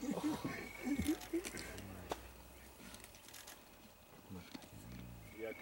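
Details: At a kill in Vumbura, Okavango Delta, Botswana, spotted hyenas give short, rapid, pitched yelps in a burst at the start. Lower harmonic groans come later. Faint whistled bird notes and rustling are in the background.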